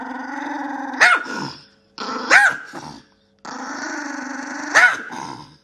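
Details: Yorkshire Terrier, a small female pet dog, growling low and steadily in three stretches, each broken by a sharp, louder bark near its end, about every one to two seconds apart, with short silent gaps between.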